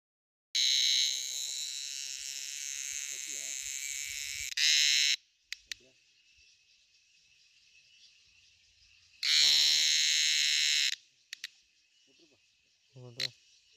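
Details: During the rainy season, an insect gives loud, harsh, high-pitched buzzing bursts separated by a softer steady drone.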